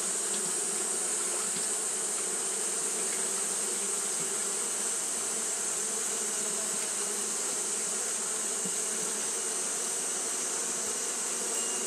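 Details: Continuous wing-fanning of Japanese honey bees on a hot day, a thick low hum that holds steady throughout, with a strong sustained high hiss above it.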